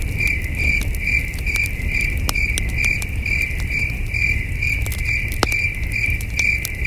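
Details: Under a starry night sky at a peaceful camping site, crickets give rapid, high, ringing chirps in quick succession, joined by frequent crackles and pops from a burning campfire.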